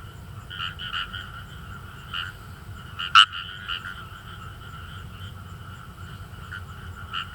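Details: Kawamura's rice frogs calling in rice paddies in northern Saitama, Japan: a dense, fairly quiet chorus of short, rasping croaks overlapping throughout, with one sharp, loud croak standing out near the middle.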